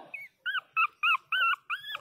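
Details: A 22-day-old Pinscher puppy gives loud, thin, high whines, six short arched cries in two seconds, each rising then falling, in a quiet room.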